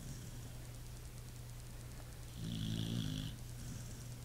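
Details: Pit bull asleep and snoring: one low, rough snore of about a second swells above a steady low hum, with a faint breathy hiss riding over it.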